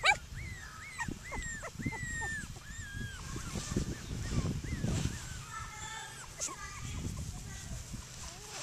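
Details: Playing outdoors, seven Cockapoo puppies let out a string of drawn-out, arching whines, several overlapping, while a person talks nearby and rustling, thumping movement fills the low end.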